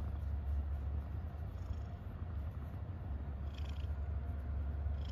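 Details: Contented domestic cat giving a continuous low, throbbing purr, even and unbroken, with a brief faint high-pitched chirp partway through.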